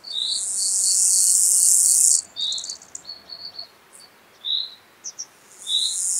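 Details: Gravel grasshopper recorded on 6 July 2019 at Taugl in Austria. A harsh, high buzz runs for about two seconds, followed by scattered short chirps. A second buzz begins near the end.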